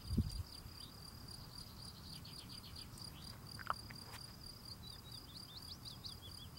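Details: A male field cricket chirps steadily in a high, rapid pulsed stream while tidying his steps. A loud low thump opens the recording, a brief sharp click follows midway, and distant birds call.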